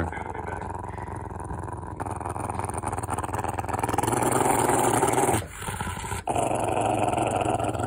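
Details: Rottweiler, a pet male dog seeking love rather than being aggressive, giving a sustained low rumbling growl indoors, swelling louder midway, with two short breaks near the end.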